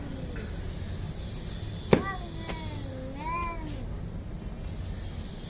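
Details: Angry cats in a fight: a low drawn-out growling moan with a short rising wail, a sharp click or knock partway through, quiet background noise.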